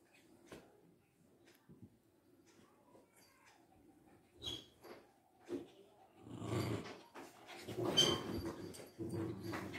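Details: Fighting Lhasa Apsos named Bruno and Mars: several seconds of near quiet with faint scattered sounds, then a sudden loud eruption of rough, noisy snarling and scuffling that fills the final four seconds.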